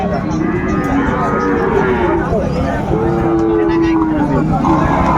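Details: Deep, sustained lowing from Sahiwal cattle at a busy Chattogram cattle market, Bangladesh, on 17 January 2025. Two long level moos stand out midway, with constant background chatter and bargaining voices.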